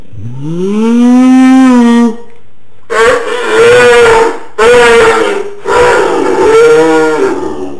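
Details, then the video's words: Pet dog making the odd non-barking sound it often produces out of the blue: a long, rising, moaning groan held for two seconds, then three shorter wavering drawn-out moans after a pause. "My dog and his funny sound"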